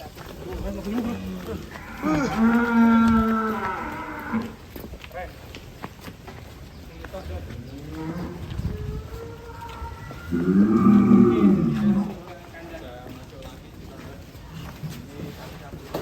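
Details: A big black 'monster' bull leaving its pen lets out two deep, drawn-out moos, each about two seconds long and roughly eight seconds apart. People chat quietly in the background between the calls.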